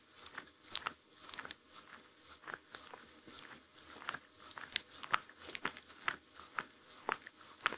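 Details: A Shetland Sheepdog chewing food in a quiet room with no music: loud, crisp crunches and biting clicks come in quick, uneven bursts throughout.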